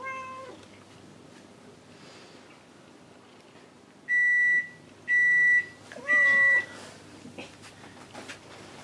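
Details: Evening indoors with pet cats Kuri and Gon, one cat wanting affection and one busy grooming; a short meow opens, then three loud steady electronic beeps, a further rising-falling meow and soft household clicks.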